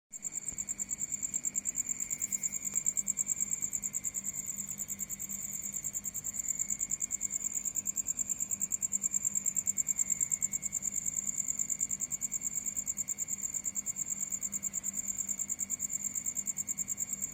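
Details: At night, crickets chirp in a steady, high-pitched pulsing trill that carries on without a break.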